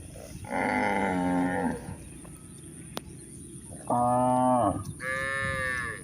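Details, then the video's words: A herd of village cows out grazing at pasture, giving three moos: a long even one, then a strong falling one, then a higher, brighter call, set against soft rustling and a thin constant high tone. "Adorable Village Cows: A Full Day of Grazing While Making Cute Sounds"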